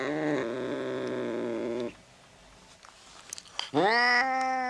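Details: Drawn-out domestic cat yowling, played to scare off mice: a long level cry lasting nearly two seconds, a quiet gap with faint rustling, then a sharper rising yowl that holds steady.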